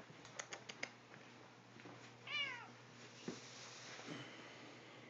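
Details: Male tuxedo cat indoors, stretched out and having his belly rubbed as his owner comes home; one short, falling meow in mid-clip, with a few soft clicks and taps before it in a quiet room.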